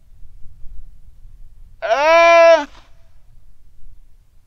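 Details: A single long, level, voice-like cry from a Weddell seal pup calling its mother while lying on the ice shelf at Terre Adélie, Antarctica, on a sunny quiet afternoon, 15 November 2009; strong harmonics, ending in a slight downward slide.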